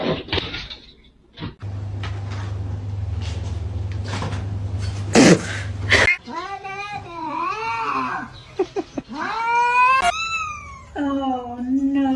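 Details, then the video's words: Domestic cat making a string of loud, wavering yowls and meows in the second half. The calls bend up and down in pitch and are rich in overtones. A person talks and there is a low hum at the start. "cats meowing"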